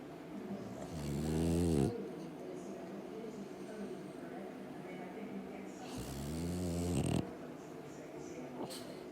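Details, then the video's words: Pet dog asleep indoors, snoring in two long, harmonic-rich rumbling breaths about five seconds apart, each lasting roughly a second, with quiet breathing between. "Snoring Dog"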